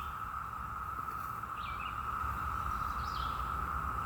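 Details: Cicadas in the morning on May 2, 2021, in Parkton, Baltimore County, Maryland, hold a steady, unbroken mid-pitched drone that goes on all day, with two brief bird chirps above it.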